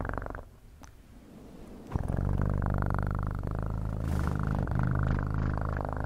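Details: Cat purring steadily, a deep, rapidly pulsing rumble that starts faint and breathy, then swells after about two seconds into a loud, rich, buzzing drone held to the end.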